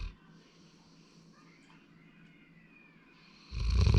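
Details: Sleeping male Labrador Retriever named Sora, born 8 February 2019. A long, near-silent stretch of faint breathing ends in a sudden loud, rough snore over the final half second.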